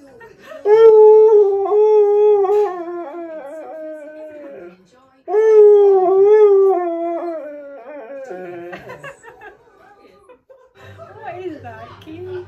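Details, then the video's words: Indoor Siberian Husky yodelling for its dinner: two long wavering howled phrases, each about four seconds, with warbling pitch bends and strong harmonics, followed by softer broken whining vocalizations and a human voice in the background. "Husky Yodels For Dinner!"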